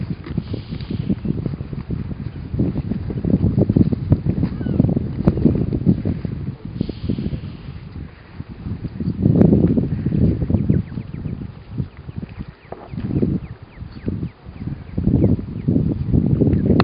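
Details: Deep, throaty rumbling from a Weddell seal asleep on Ronge Island in Antarctica, coming in long uneven waves with brief quieter gaps, over light wind noise.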